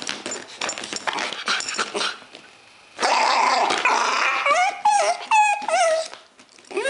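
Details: A three-month-old Bull Terrier puppy whines in high, wavering whimpers. It had been playing, saw its owner, and wanted to get out.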